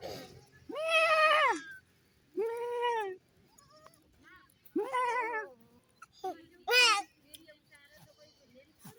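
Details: Mini goats and a baby goat on a goat farm: four loud, drawn-out bleats with a wavering, nasal tone, spaced irregularly, with a short sharp cry near the end and faint voices in the pauses.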